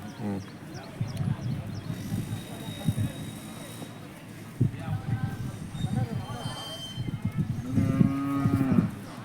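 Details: Hallikar cattle at the Jodugatte cattle market in India: a low, drawn-out moo with a steady tone swells near the end, after fainter lowing and shuffling, amid people talking nearby and general market bustle.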